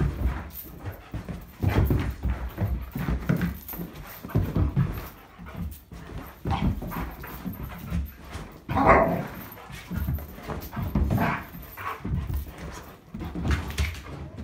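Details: Irish Setter panting in rapid, breathy, rhythmic puffs, with scuffling, movement noise and a brief voice partway through.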